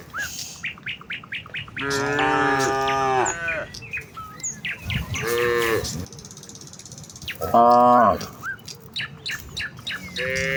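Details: Herd of village cows heading out to the fields in the morning: several drawn-out moos at uneven intervals, mixed with frequent quick bird chirps and tweets throughout.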